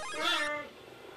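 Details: A 3-month-old cheetah cub at a zoo gives a single high, mewing call while searching for its mother.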